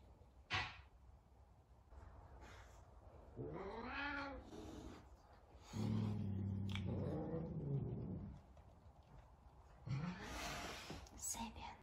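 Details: Sabian, a talkative Savannah cat, calls while trying to find Sabina, another cat. A rising-then-falling meow is followed by a long, low, drawn-out yowl and a short upward meow, with soft clicks and knocks between them.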